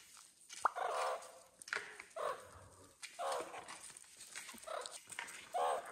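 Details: Young meerkats, babies growing up at Nagasaki Bio Park in Japan: short harsh calls repeated roughly once a second, each a mid-pitched burst with a few higher clicks between them.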